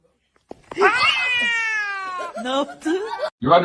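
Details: Domestic cat giving one long, drawn-out meow with a steady, slightly falling tone for more than a second, followed by shorter wavering cries and a burst of human voices at the end.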